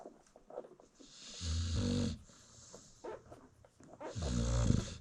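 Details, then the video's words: Nursing American Bully mom asleep with her newborn litter in South Africa, giving two long, rumbling snores about three seconds apart, each a low throaty rasp with breathy hiss, faint puppy shuffling in the pauses. "Newborn American Bully Puppies Feeding While Mom Snores"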